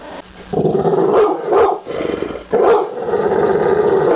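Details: Angry pit bull dog producing a sustained rough growl broken by a couple of short sharp barks, one brief pause in the middle before the low growling resumes and continues to the end.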